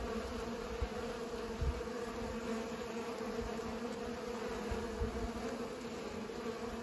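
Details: Pollinating bees give a continuous low buzzing hum, thick and unbroken, with a few soft low thumps rising briefly out of the drone.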